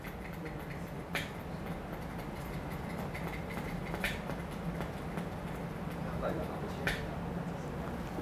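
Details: Sperm whale giving sharp, broadband clicks spaced a few seconds apart over a steady low rumble, likened to Morse code, with various tapping "da-da-da" sounds.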